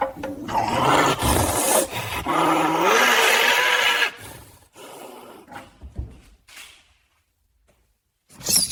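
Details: A caracal gives harsh, hissing growls with a wavering, moaning tone, then falls quiet. The scene is a staged, digitally created recreation with designed sound, showing an angry caracal.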